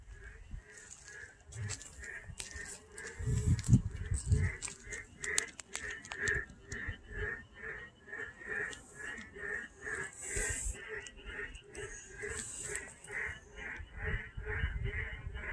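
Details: Two Korean narrow-mouthed toads on a road surface give short, nasal bleating notes in a steady, rapid series.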